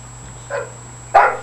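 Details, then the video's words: Scarlett, a female bulldog kept as a pet, letting off energy indoors: two short barks, a softer one followed by a louder, harsher one about half a second later, with a steady electrical hum underneath. "Scarlett Lee the Bulldog goes Crazy"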